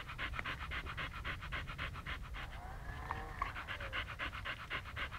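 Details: Panting Siberian Husky holding still in one spot in Pleven, Bulgaria: fast, even huffing breaths at roughly four per second, with faint tonal background sounds in the middle.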